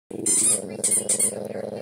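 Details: Male dog making a funny noise while his neck is rubbed: a nasal, squeaky whine rich in overtones, broken into three or four pulses with bursts of high hiss, indoors.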